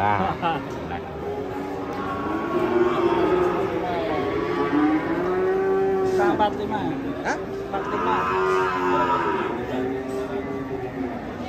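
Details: Huge cow, described as raging while being unloaded from a truck, gives a long, continuous low moo that wavers and swells over several seconds, with faint voices in the background.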